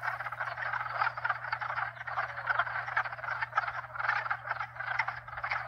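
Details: Frogs of at least two, perhaps up to four, species croak and trill all at once, the chorus rising in rhythmic bursts roughly every second, with a persistent low hum from hot tub pumps.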